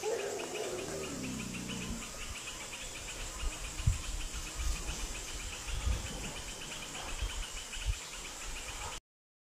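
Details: Wild Asian elephants from two herds meeting, likely competing for territory, at a reservoir in Phu Khieo Wildlife Sanctuary, Thailand, around 17:47 on 3 March 2019. A low harmonic call slides downward for about two seconds over steady pulsing insect chorus and scattered thumps.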